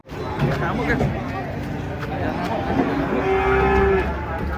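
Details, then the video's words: Giant cattle coming down from a truck, described as fierce and needing care; a drawn-out low lowing holds steady near the end, over a rumbling background with faint voices. "SAPI RAKSASA UNIK TURUN DARI TRUK HARUS HATI-HATI AWAS GALAK"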